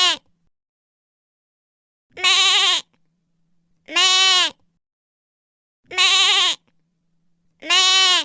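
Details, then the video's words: Lamb bleating, a series of nasal, wavering bleats each lasting about half a second, repeated roughly every two seconds with silent gaps between and no other sounds. "Cordeiro Som do Cordeiro"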